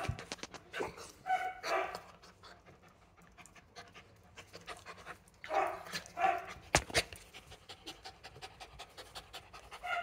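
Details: Skye Terrier in quarantine in the UK after transport from Ukraine, breathing in bursts of soft, breathy panting with short pauses between rhythmic clusters; faint clicks and light background noise.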